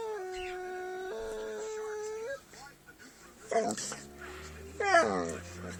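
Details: Dog vocalizing during play: a steady, drawn-out howl-like tone held for about two seconds, then quiet, then two short wavering yelps near the end.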